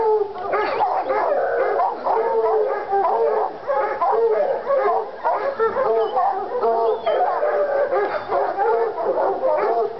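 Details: In North Carolina two Treeing Walker Coonhounds, Lady and Cooper, are fired up on a coon skin, giving drawn-out wavering howls and choppy barks in a thick chorus, a brief rising whistle-like note near the middle.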